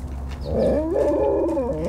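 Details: Huskies and Malamutes playing together during morning exercise; a drawn-out, wavering howl-like whine rises and dips across the whole moment, loud and close, with a low steady hum underneath.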